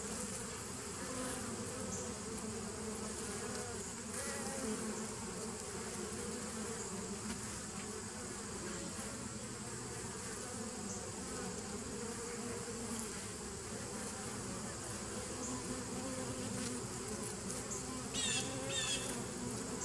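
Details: Continuous droning of bees in a 2017 nuc, recorded 27 September 2018: a rich, steady hum that barely rises or falls, with a faint click near the end.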